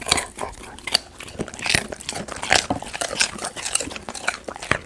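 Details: Indoors, a golden retriever crunches raw sweet potato, recorded up close for ASMR: rapid dry crunches and snapping bites in uneven clusters, some louder crisp cracks between softer chewing.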